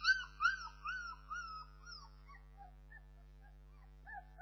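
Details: Bernese Mountain Dog puppies whimpering: a series of high, wavering whines with rising and falling tones, fading after two seconds, then a few softer squeaks near the end over a low steady hum.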